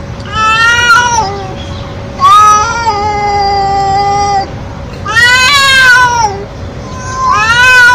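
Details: Stray feral cat meowing very loudly and nonstop: four long, drawn-out harmonic meows, some rising then falling, each about one to two seconds, separated by short pauses, over a steady low hum.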